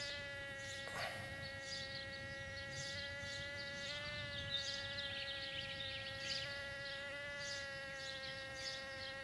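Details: Bumblebees mating in a back yard: a steady, droning hum holds one even pitch throughout, rich in overtones, while faint high chirps flicker in the background.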